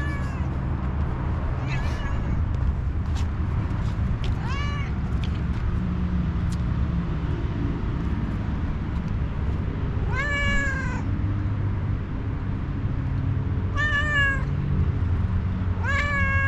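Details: Homeless one-eyed tuxedo cat, a stray described as angry and hungry, meowing. About five drawn-out, harmonic-rich meows come at uneven gaps, louder toward the end. A steady low rumble runs underneath throughout.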